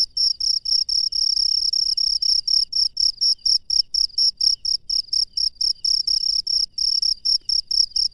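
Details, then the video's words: Night-time cricket in the wild giving clear, high-pitched pulsed chirps at a steady pace of about two per second against an otherwise quiet background. "SUARA JANGKRIK LANGSUNG DARI ALAM LIAR DI MALAM HARI"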